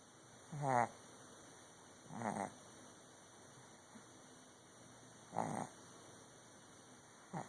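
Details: Loud snoring from a sleeping dog, captured with an Android phone: four rough, pulsing snorts roughly one and a half to three seconds apart, each lasting under half a second, against a quiet background hum.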